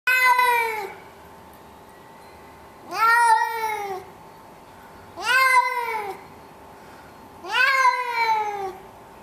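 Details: Male domestic cat meowing in protest at being put into a carrier for a vet trip, 19 September 2011, still at home in a condo; four long, arched, harmonic meows roughly every two and a half seconds over a steady faint hum.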